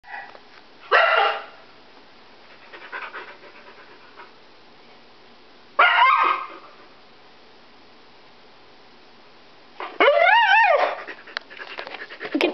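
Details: Pet Siberian Husky female indoors, worked up after family members left for a pet store without her: short harsh yelping bursts, then a wavering yodel-like vocalization with stacked harmonics, separated by quiet pauses; a person talks to her afterward.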